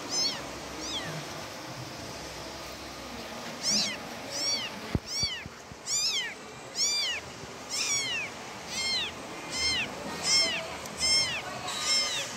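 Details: A young domestic cat cries for its mother in a run of about fourteen shrill, arching meows, closely spaced near the end. One sharp click sounds early, and faint hiss runs underneath.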